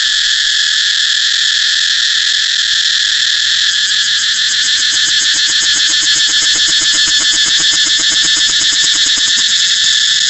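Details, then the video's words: Cicada drone, intense and high, starting as a smooth hiss and shifting into a quick, pulsating rattle-like rhythm through the second half. "cicada เสียงจั๊กจั่น"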